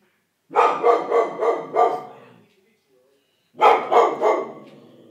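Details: English Springer Spaniel named George barking at something, two loud bursts of rapid harsh barks, about five then three in quick succession, with a short quiet gap between.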